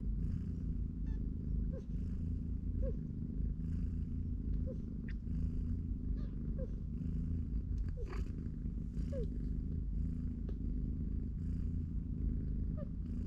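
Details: Steady low rumbling purr from a cat family with three-week-old kittens in a cardboard box, mother cat watching as they play and nap. Faint short rising squeaks recur about once a second over the continuous drone.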